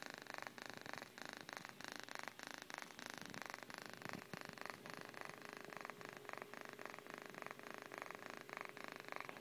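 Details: Dozing cat named Miyuki giving a continuous quiet purr, a fine fluttering rumble of fast even pulses with slight swells in strength, heard close and steady without voices or other noises.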